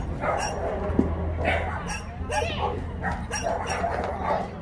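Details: Barking dogs at the Yangsan shelter for abandoned animals in Korea, filmed during volunteer work: a steady run of loud, clipped barks about every half second over a low hum, with people's voices mixed in.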